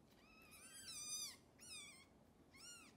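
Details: Hungry kittens cared for by the mother cat Xaxa, who lacks enough milk for all of them, fed extra formula indoors; high thin meows rising then falling, three calls in quick succession with soft background noise.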